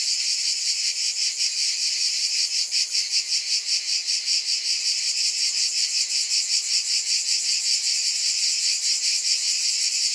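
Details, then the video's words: A continuous shrill cicada drone, bright and hissing, swelling and fading in a soft, regular pulse of roughly two and a half beats per second throughout. "Scintillating Cicadas 1 hour White Noise"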